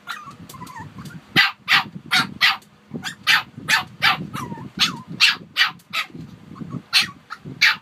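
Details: A Shih Tzu, one of two young dogs (Harper and Wuhan) kept together, gives sharp, high-pitched barks in quick uneven bursts, with soft whines between.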